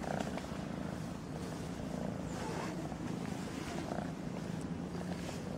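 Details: A purring fluffy kitten at play with someone's fingers, giving an even, low vibrating hum that holds without a break, with faint handling noise over it.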